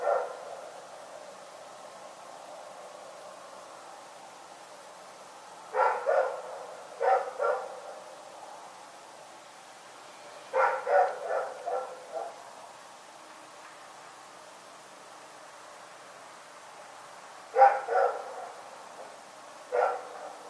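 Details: Dog named Rex barking during the night: scattered groups of two to four abrupt barks spaced several seconds apart across a quiet background.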